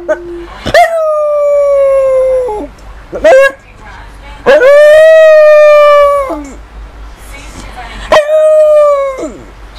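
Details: Female pet dog giving three long, sustained howls of about two seconds each, steady in pitch with a brief rise at the start and a downward slide at the end, separated by short yelping notes.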